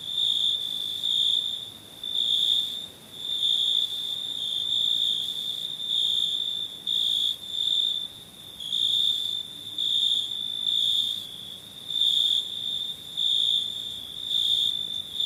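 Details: Night chorus of crickets, a continuous piercing high trill pulsing louder and softer roughly once a second throughout, nothing else audible.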